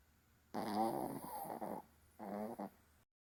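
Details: Snoring Maltese dog recorded indoors on 7 May: a long rough, buzzy snore of about a second and a half with a wavering tone, a short pause, then a second shorter voiced snore.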